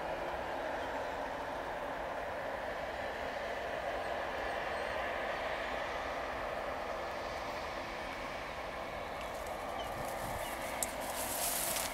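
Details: Continuous broadband roar like a moving train or vehicle, with a brief hissing burst near the end and no animal sound.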